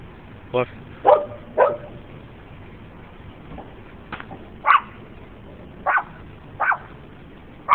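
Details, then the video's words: Dogs barking at a DK sign: a series of short sharp barks, seven or eight spaced bursts, irregular with gaps of about half a second to a second and a half, one brief spoken word near the start, faint background hum. "Dogs barking at DK sign"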